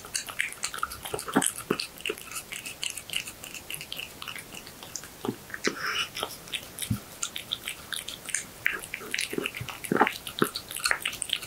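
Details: Close-miked cat munching horse meat in a small room: wet chewing clicks and smacks in uneven rapid runs, occasional louder crunching bites, otherwise quiet surroundings.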